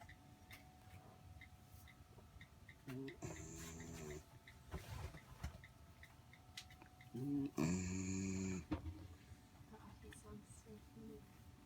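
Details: Aboard a sailboat, the dog Floki sleeps on his back on a person, snoring in two rough, buzzing bursts a few seconds apart, otherwise quiet with faint background rustle.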